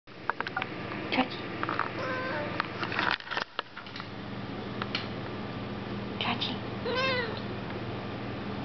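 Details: A domestic cat (Felis catus) sitting on a lap gives a clear, arching meow that rises and falls near the end; recorded 21 April 2007.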